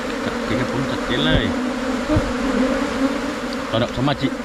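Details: Asian honey bees of a splitting colony settle into a new hive box with a thick, steady buzz, while brief snatches of a man's voice rise over the drone twice.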